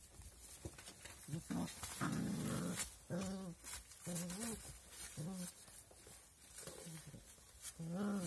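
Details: Puppies giving short, arched, whiny yelps in a loose series, each rising and falling, with one longer, rougher burst near the start and brief quiet gaps between calls; soft background noise throughout.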